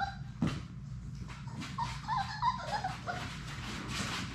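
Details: Six Labrador Retriever puppies at play in an indoor puppy play room; a few soft, high, wavering whimpers and squeaks rise and fall through the middle, over a steady low rumble and scuffling.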